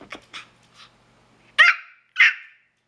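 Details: Pomeranian begging to share pineapple, giving a few soft yips and then two sharp high barks about half a second apart.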